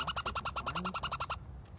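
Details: A Douglas squirrel in Deception Pass National Park on Whidbey Island gives a fast, harsh chatter of about a dozen sharp notes in just over a second.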